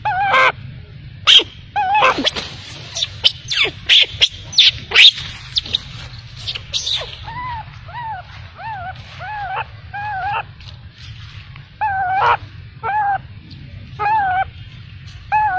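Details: Baby macaque crying after being abandoned by its mother. It opens with scattered sharp clicks and knocks, then a series of short, arched, plaintive whimpering cries, roughly one or two a second, over soft background hum.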